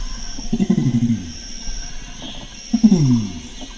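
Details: Deep, rough rumbling call of a Bornean orangutan (Pongo pygmaeus): two low, throaty bursts a couple of seconds apart, each a quick run of pulses dropping in pitch, over a faint steady background hum.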